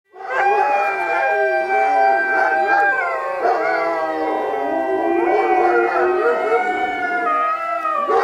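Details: Alaskan Malamutes howling along with sirens on 12 October 2014; long, sustained, wavering tones with many stacked harmonics, several voices overlapping and gliding up and down continuously for the whole stretch.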